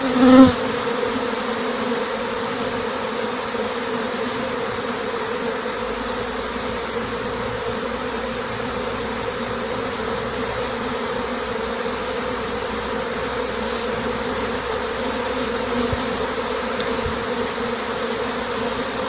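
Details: Honey bee swarm leaving a six-frame nucleus hive together with its queen, who is marked with a white dot, recorded live. Thousands of wings make a dense, unbroken droning hum that stays even throughout.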